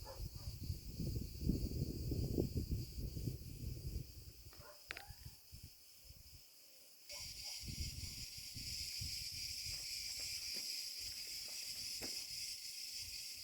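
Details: Cicada cretensis singing after sunset in an olive grove at 34C: a steady, hissing high buzz switches on strongly partway through and holds unbroken, over crunching footsteps and low rustling thumps from a walk.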